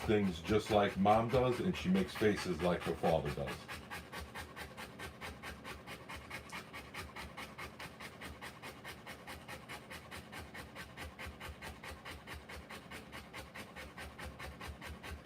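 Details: Rottweiler giving birth to puppies: after a few seconds of human talk, steady rapid panting takes over, nearly four even breaths per second, sustained for about twelve seconds in a quiet indoor setting.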